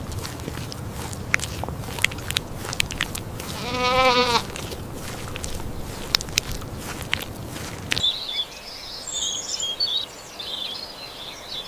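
A sheep gives one wavering, quavering bleat over a background of clicks and rustling noise.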